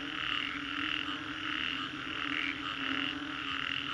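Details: After-storm frog chorus in Green Corridor, Singapore, croaks swelling and fading in irregular pulses, around ninety per minute, over a continuous low drone.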